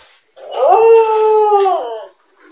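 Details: A grown-up female corgi howls while she eats, a single sustained howl that rises, holds steady, then falls away.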